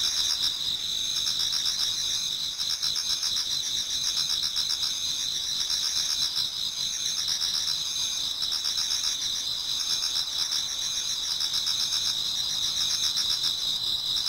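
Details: Autumn insects in a Japanese garden sing together towards dawn, layering a constant shrill ringing with rapid pulsed chirping, about four pulses per second, steady throughout.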